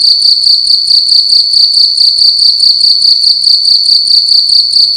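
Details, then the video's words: Night-time cricket in a room, very loud and close: a constant high-pitched trill of quick throbbing pulses, even and unbroken, over faint low clicks. "Cricket making loud sounds at night in a room"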